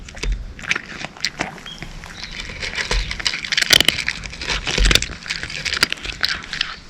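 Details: Crunchy kibble chewing by a cat, irregular crisp crackles and clicks in quick bursts, a few dull low knocks between bites.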